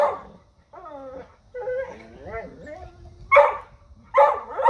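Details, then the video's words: Dogs reacting to a deer: drawn-out, wavering whines and yelps, then two loud, harsh barks near the end. "Dogs Barking at Deer"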